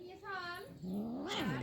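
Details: A cat, brought to a village from Dhaka during Eid, gives a drawn-out wavering meow that rises and then falls, after a thinner, higher mew, while people talk nearby.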